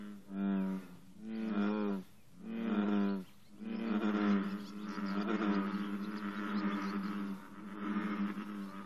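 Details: American bullfrogs in an intense morning chorus at 54 degrees, with green frogs present: three deep, twangy, harmonic calls about a second long, then overlapping voices merging into a steady low drone.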